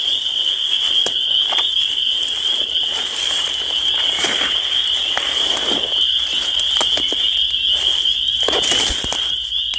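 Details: Spring peepers in full chorus, a steady high shrill peeping band, partly masked by frequent crackling and popping noises throughout.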